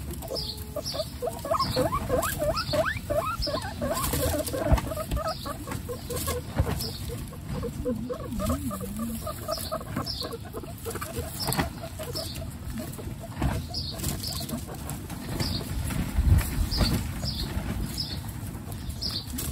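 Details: Pet guinea pig Coconut with her babies Pistachio, Pumpkin and Snow, part of a household of 29 guinea pigs: rapid runs of short, low, harmonic chuttering pulses with steady high squeaky chirps repeating about every second, over constant rustling.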